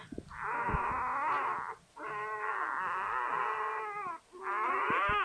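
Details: Newborn Labrador Retriever pup, just born to the mother Sofia, giving loud sustained whining cries in three long harmonic bursts with brief pauses, pitch wavering up and down; nothing else audible.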